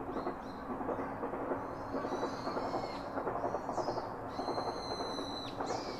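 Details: Baby monkey seeking comfort from its father: short high squeaks and one sustained, flat, harmonic-rich whine near the end, partly masked by a louder mid-pitched background hum and clatter.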